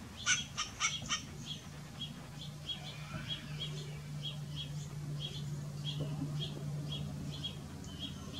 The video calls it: Barking western grey squirrel